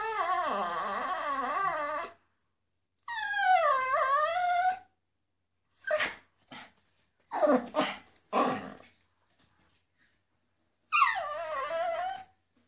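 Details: Brit, a miniature poodle, howls along to flamenco music indoors. Three long, wavering, tuneful howls rise and fall between silent pauses, with short sharp percussive bursts heard in the middle stretch.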